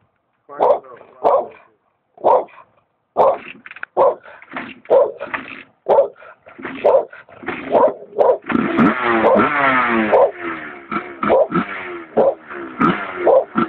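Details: A dog barks repeatedly, roughly once a second, in short punchy bursts; midway the barks run together into a stretch of whining, wavering yelps before single barks resume.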